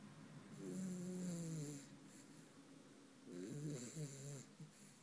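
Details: Dreaming puppy Lacey gives two drawn-out snoring breaths about three seconds apart, each a nasal, slightly whining tone with a wavering pitch and a hissy edge, in a quiet room.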